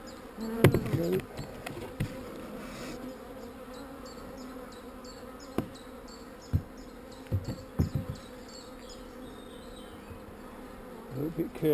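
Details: Calm honey bees in a managed hive during an inspection where queen cells are being destroyed; a steady low droning hum runs throughout, broken by sharp knocks and clicks from handling frames and equipment.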